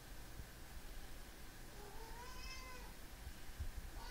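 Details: Pet cat named Enzo meowing indoors to wake its owner in the morning, a single drawn-out meow that rises then falls, over steady fan-like room hum.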